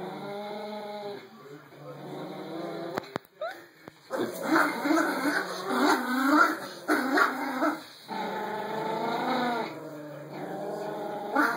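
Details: Yorkie-Pom puppies tussle over a rope toy while Momo grows territorial. After a quieter opening, grumbling growls swell in irregular surges, mixed with thin whimpering tones. A constant high electronic hum persists.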